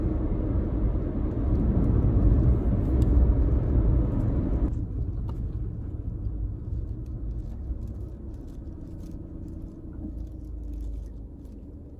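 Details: Steady low car rumble outdoors in a rural setting, dropping in loudness partway through, with faint ticks and no animal sounds.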